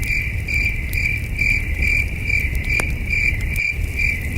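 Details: Distant chirping crickets on a starry night while camping, regular high chirps in a steady pulse, a few sharp campfire snaps cutting through, low wind noise underneath.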